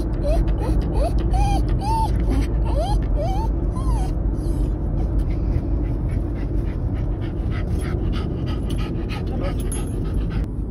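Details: Two Patterdale Terriers, Oscar and Millie, excited about a car journey: high, rising-and-falling whines and yelps packed into the first four seconds, then fading, over a constant low engine rumble.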